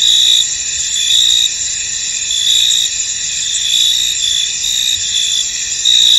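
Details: Steady high cricket trilling from a misty field, several overlapping callers forming a continuous shimmer, with louder chirp phrases rising and fading every second or so.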